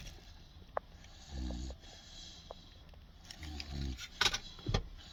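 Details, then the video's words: A 16-week-old Boerboel puppy sleeps in a cage with its eyes open, snoring. Two low, rumbling snores arrive about two seconds apart. Rattling and clicking noises follow near the end. "16 week old Boerboel snoring with eyes open?"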